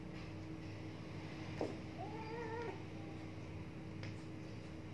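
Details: A Himalayan cat gives one short, clear meow that rises then falls slightly, lasting under a second, over a steady low indoor hum with a faint click before and after.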